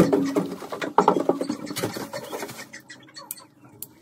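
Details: German Pointer puppies excited while having their nails trimmed indoors: short, tonal, wavering whimpers in the first second and a half, then fading into soft patter and rustling, with a person's voice nearby.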